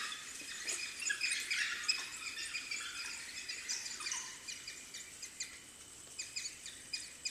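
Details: Dense chorus of shrill squeaks and chirps from African wild dog puppies at their den, rapid and overlapping, loudest early then thinning into scattered squeals, with a faint background hiss.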